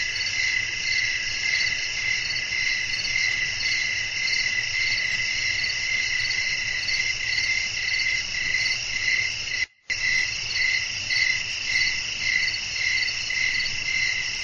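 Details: Crickets singing at night amid gentle wind: unbroken high, rhythmic chirping about twice per second, interrupted by a brief silent gap near the middle before the same chorus resumes.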